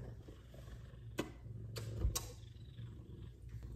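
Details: Purring from an F2 Savannah cat, one of two affectionate cats being loved on: a continuous deep, even rumble with brief sharp clicks and rustles, a woman's voice just before and after.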